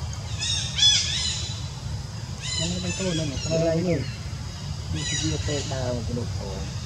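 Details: After ant bites across her whole body, monkey Jazzy cries while monkey Jane offers no care; shrill harmonic screeches open, close and recur, separated by lower bending calls, all over a low steady rumble.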